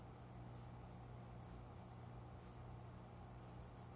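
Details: Cricket singing just after 5 a.m. at dawn in a small plant corner by a closed window indoors in summer; single high, clear chirps about once a second, ending in a quick burst of four, over a steady low electrical hum.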